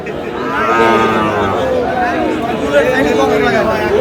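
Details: Sahiwal bull calves being bought and sold as trading opens at Aftabganj cattle market in Dinajpur on 13 June; several overlapping drawn-out harmonic moos, some rising and falling, over a steady crowd murmur and voices.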